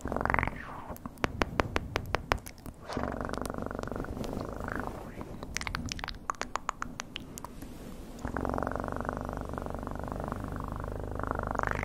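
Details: Pet cat's deep, even purring recorded close for ASMR. Bursts of rapid clicking and tapping alternate with long stretches of steady, low, throbbing purr, the longest filling the final four seconds.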